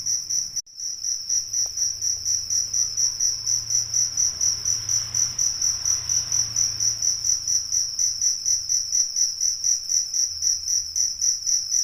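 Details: High, even cricket chirping from Indonesian crickets, rice-field and fighting types, beating steadily about twice per second after a brief click at the start, with a soft low rumble beneath.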